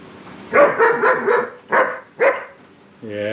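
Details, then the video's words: Young German Shepherd Sarge, seven months old, argues against being combed: a rapid burst of rough barks and grumbles, then two more sharp barks, with a person's speech at the end. "German Shepherd Pup Arguing with his dad"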